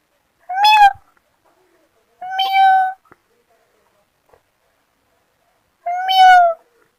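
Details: Three drawn-out, steady kitten meows from kittens playing in grass, the first two close together and the last after a four-second quiet gap, with faint soft ticks in between.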